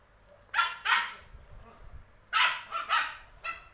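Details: Male Samoyed giving short, sharp barks in two clusters, a pair near the start and three more later, each bright and harmonic, with quiet low rumbling in between.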